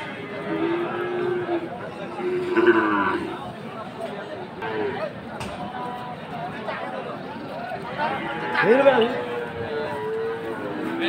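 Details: Friesian and cross-breed cattle, bulls and calves, at the Aftabganj cattle market in Dinajpur on Saturday 18 February; scattered short moos and bellows rise and fall over steady crowd chatter and market noise.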